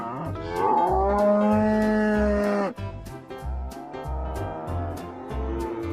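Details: An ox gives one sustained, even moo lasting about two seconds, followed by softer lowing, set against a prominent music track with a steady beat.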